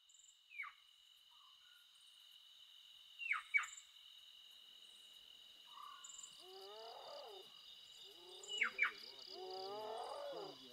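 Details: Spotted hyenas with a cub, very close, in Kruger National Park. Wavering, harmonic whining calls rise and fall through the second half. Earlier come a few sharp, falling chirps. A steady high insect drone runs throughout.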